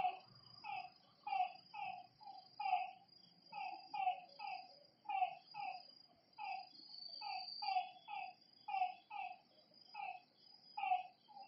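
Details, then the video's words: Frogs calling at night by a lakeside: short, rounded croaks repeated several times a second, overlapping from more than one caller, over a steady high insect drone. "Lakeside night creatures and frog sounds"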